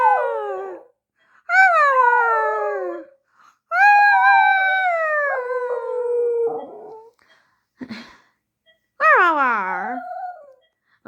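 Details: A Xoloitzcuintle, a Mexican dog, gives long, wavering howls that slide downward, with short pauses between them.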